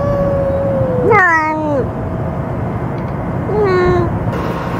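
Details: Cat fed as a stray, vocalizing while eating after being threatened by another cat that had just eaten; a long falling meow, a sharp rising-then-falling yowl, and a later shorter descending meow over steady background noise.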